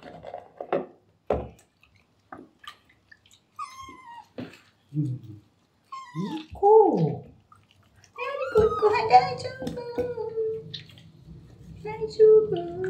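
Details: Rescued kitten Terra, normally calm, meows in complaint during his first bath indoors: several short arched cries, then a longer drawn-out wail, over a woman talking gently in French and splashing water.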